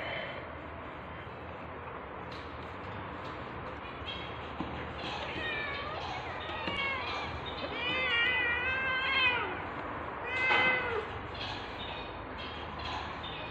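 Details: Tabby cat, tagged British Shorthair, during labour while giving birth to kittens indoors; a run of high, thin, arching mews begins after a quiet stretch with soft rustling and comes in quick clusters, each one rising and then falling.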